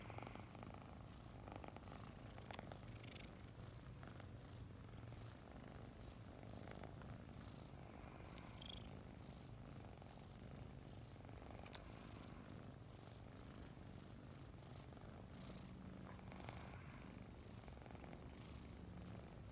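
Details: Two domestic kittens named Mint and Mocha, about five months old and newly adopted, snuggling in the morning; a steady low rumbling purr runs throughout with soft rustling and faint clicks above it.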